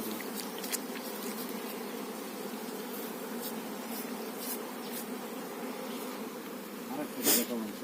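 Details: Buzzing honey bees around a kept hive with the queen bee; an even, sustained hum plays over faint clicks, ending with a sharp knock near the close.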